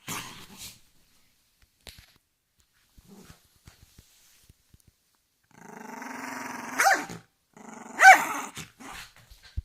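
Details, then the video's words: Angry dog with low rumbling growls building after a quiet stretch of small clicks, broken by two sharp barks. "Angry dog growling"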